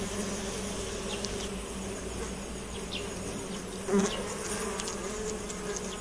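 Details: Bee buzz, softer and more distant, a continuous low drone with faint overtones and a brief louder pass near the middle, set against a grainy background hiss.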